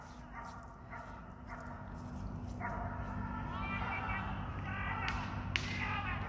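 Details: Border Collie Kuzya, aged ten, barking at a birthday training session: a quick cluster of short barks at the start, then a single bark, with spoken Russian commands and movement noise rising behind.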